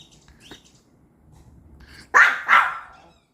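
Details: Pomeranian barking in reaction to a strange beeping sound from the TV: a faint high electronic beep and quiet murmur first, then two sharp, loud barks about half a second apart near the end.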